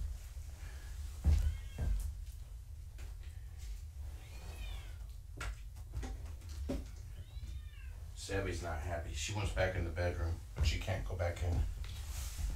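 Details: Kittens of the foster cat Gaia being weighed indoors, with arched, tonal meows a few seconds apart, followed by human speech and handling sounds against a low background hum.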